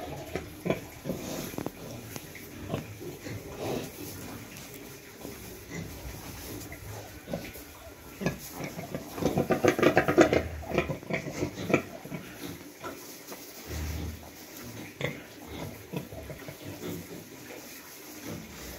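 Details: In a pen during the cold season, a newly farrowed sow and her piglets call while rice-hull bedding and warming are arranged. Low grunting and squealing run irregularly throughout, with a louder cluster of squeals near the middle.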